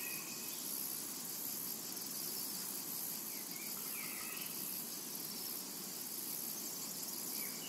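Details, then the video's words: Cicadas drone steadily across a tranquil summer meadow, a dense shimmering hiss without breaks, with scattered faint upward-sweeping bird chirps behind it. "Summertime and Cicada Ambience to Relax to"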